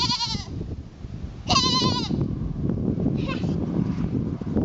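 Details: Goat trying to fit in with a herd: three bleats, a short one, then a loud quavering bleat lasting over half a second, then a fainter brief one, against steady low background rumble.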